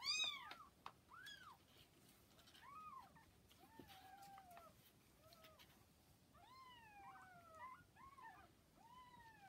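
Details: Newborn kittens, about 40 hours old, with mother cat Hana: a string of short arched mews from several kittens, spaced unevenly, some doubled, over a quiet indoor background.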